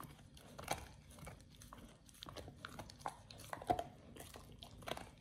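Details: Quieter, softer munching as Oliang, a Pit Bull, works on a raw ostrich paw indoors for the first time; scattered crunches amid a faint room background.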